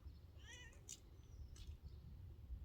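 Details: Wild cat being fed and trained, a female, utters a short meow amid steady low hum, followed by a woman praising and urging her on.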